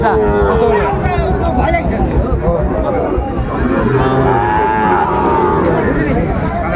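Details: Sahiwal bull calves at a crowded cattle market where Dhaka farmers buy bulls, 12 September 2024; a low, drawn-out moo opens, then further lowing blends into constant crowd chatter, loud bargaining voices and background bustle.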